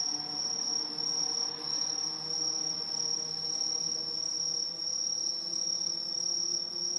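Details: Dense chorus of Aobamatsumushi tree crickets in tall trees, an introduced species in Japan singing in autumn: a continuous high, shrill ringing trill with a slowly pulsing swell, many insects overlapping, faint low hum beneath.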